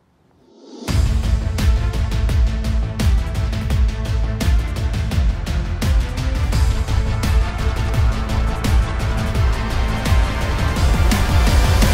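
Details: Loud driving instrumental music with a strong beat starts after a second of silence and continues to the end, with no animal sounds.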